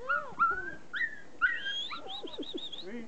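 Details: Standard Poodle puppies outdoors give high, whiny whimpers and short yips that rise and fall and overlap.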